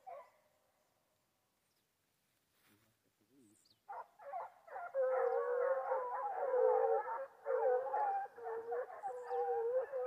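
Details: Hunting foxhound on wild boar. A near-silent start with a faint distant cry gives way after four seconds to loud, sustained, overlapping wavering howls that carry on steadily to the end.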